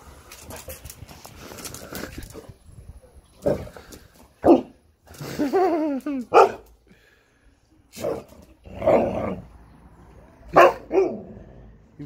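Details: A female Siberian husky that knows she is being left home alone yowls and woofs in a drawn-out, wavering run of vocal complaints.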